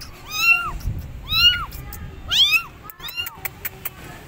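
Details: Abandoned kittens calling their mother cat from a gate, with three loud, rising-then-falling meows about a second apart, followed by a weaker meow and a few sharp clicks over low background rumble.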